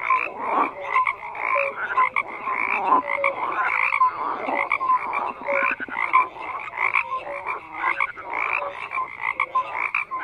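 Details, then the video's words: Overlapping frog croaks fill the recording, a busy chorus of rasping pulses and short bright notes repeating irregularly, nothing else clearly heard. "FROGS CROAKING"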